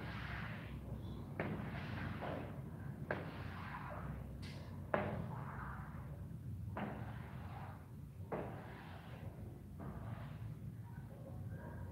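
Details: Low rumbling background with repeated thumps and bursts of broadband noise, and no animal calls. No animal voice stands out at any point.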